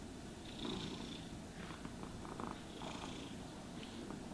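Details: Cat purring while being groomed with a brush; continuous deep, rumbling purr beneath several gentle scratchy brushing strokes, with no talking.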